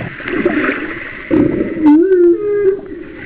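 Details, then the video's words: Off Kauai, about one mile from shore in 2009, a humpback whale sings: murky underwater rumble and gurgling, then a short rising, wavering moan that settles into a steady low tone with harmonic whistles above. "Humpback Whale Songs"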